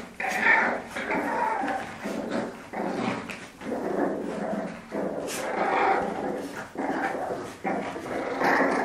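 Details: Play-fighting French Bulldog growling in long, rough, uneven bursts with scuffling clicks between them and a faint human voice in places.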